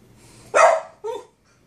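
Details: Boston Terrier barking at his brother, another dog, indoors: one loud, sharp bark followed about half a second later by a shorter, softer second bark, then quiet.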